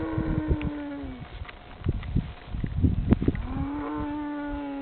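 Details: Cows in France coming up to a man who calls to them: two long, steady moos framing a burst of rustling, knocks and shuffling movement.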